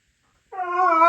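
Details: Siberian Husky indoors in the early morning, vocalising to wake its owners; a sustained, tonal, rising howl-like whine, held steady for about half a second.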